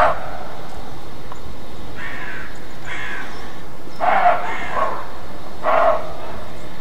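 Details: Roe deer barking in alarm: a series of about six short, rough, hoarse barks at irregular intervals of roughly one second, the later ones louder, over steady low background rumble.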